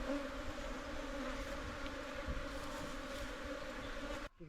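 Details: Hill bees humming at their wild nest inside an earthen hole in the ground, in hill jungle, as a local honey hunter moves the colony into a box for beekeeping; a steady, low, droning buzz with faint voices.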